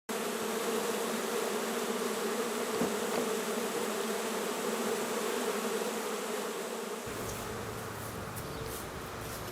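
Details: Honey bee colony being removed from its nest in the top of a porch post at a house in Grove City, Ohio, in July 2020; dense, steady droning hum of many bees that eases and thins after about seven seconds.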